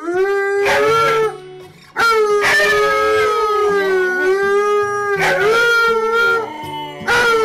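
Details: Alaskan Malamutes howling at a reunion with their owners, captured on a home surveillance camera; long, loud, wavering harmonic howls in bursts, several voices overlapping, with short breaks between them.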